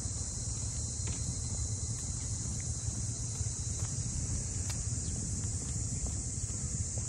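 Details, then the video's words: Walking through Ine's port houses north of Kyoto, cicadas keep up a bright, sustained high buzz while heavy low rumble and wind-like noise fill the lower range, broken by occasional light ticks. "cicadas voice"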